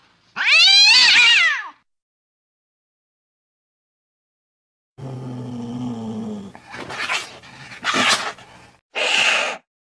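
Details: Cat sounds intended to repel mice: one loud rising-falling meow, a long silence, then a low growling drone followed by harsh hissing bursts and a short noisy cry.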